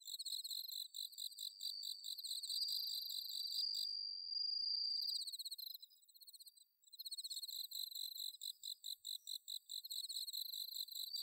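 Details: Bell cricket singing on an autumn night in rice paddies at Inba-numa, Chiba, Japan, recorded with a Zoom H6: high, bright pulsed chirps, with a sustained ringing trill in the middle before rapid chirping resumes.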